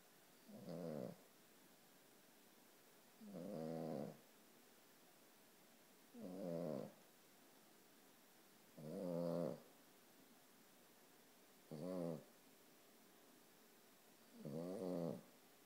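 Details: Sleeping one-year-old Boston Terrier snores steadily. Six low, vibrating, raspy breaths come roughly every two and a half seconds, each lasting under a second, with quiet pauses in between.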